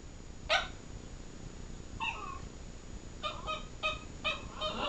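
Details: Bella, a miniature pinscher, tries to wake her sleeping brother Preston, a chihuahua: one sharp yip, then a string of short, high, wavering whines and squeaky vocal bursts in the last seconds, indoors.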